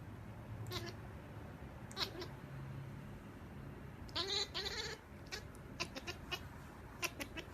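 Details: Kittens making talking noises: a short run of high, wavering meows near the middle, with scattered clicks and taps before and after over a low background hum.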